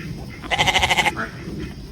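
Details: Goat letting out a single short bleat with a fast, pulsing tremolo, about half a second long, over a steady background rumble.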